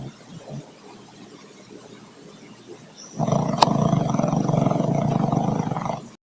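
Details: Troy, a dog whose snoring can be heard rooms away, snores nonstop; after three seconds of faint low rumbling, a loud, coarse, steady rasping snore fills the rest of the recording.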